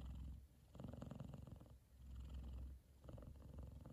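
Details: F2 Savannah cat, a male, purring loudly while content and fast asleep, cuddled up with his brother lying on top of his head; low, throbbing rumble in swelling bursts with brief quieter breaths between, steady indoors.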